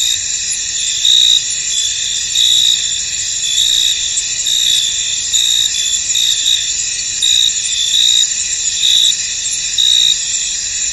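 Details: Crickets chorusing in a misty, foggy field: a dense, steady high trilling with layered bands, swelling into louder pulses about every second and a half over the constant background.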